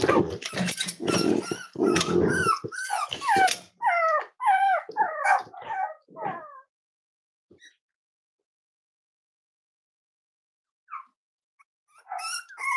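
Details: Five-week-old Cavalier King Charles Spaniel puppies of Myra and Remy, handled indoors at weight-check time. Loud talking and handling noise come first, then a run of quick, wavering, bent whimpers and yips, then quiet, then a woman's voice again.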